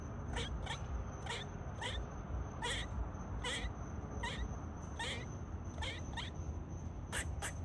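A squirrel gives sharp, clipped barks, repeated about twice a second over a low steady rumble.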